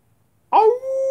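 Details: Wolf howling: a short rough onset settles into a steady, clear, mid-pitched tone held for about half a second, with faint higher overtones and a quiet background.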